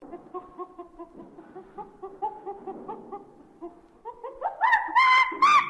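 A monkey gives soft, rapid chattering notes, then breaks into loud, harsh, rising screeches.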